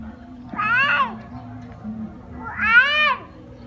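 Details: Puppies at play, crying: two high, arching whimpers with rich harmonics, one near the half-second mark and another about two seconds later, over a low steady hum.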